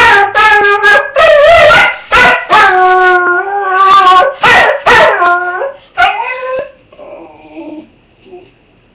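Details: Roscoe the dog, dressed in an argyle sweater, cries once his owner has left for work; a rapid string of loud yelping howls gradually fades into softer whining whimpers at the end.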